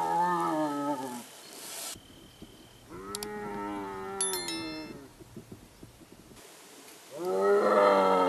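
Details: Striped hyena from India, lakadbaggha: three separate harmonic moaning calls, one at the start, one in the middle and one at the end. High, brief clicking sounds occur during the middle call.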